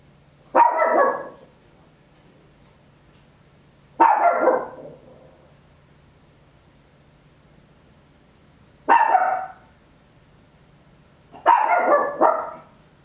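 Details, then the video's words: Papillon, a tiny dog, barking very loud at home, recorded in stereo on an Olympus LS-11: four sharp, bright barks at irregular gaps of about three to five seconds, over a faint steady low hum. "Tiny Dog Barking Very Loud, Papillon"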